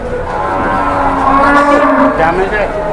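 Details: A jumbo cow being taken around for sale in Indonesia: one long, steady, nasal moo held through the whole moment, with a busy background of voices.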